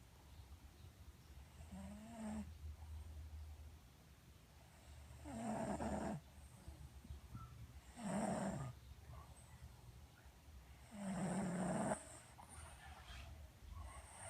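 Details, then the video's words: Pet dog sleeping, snoring softly in regular breaths about every three seconds, each a low raspy drawn-out rumble, some with a faint nasal whine; quiet indoor background hum. "Snoring Dog"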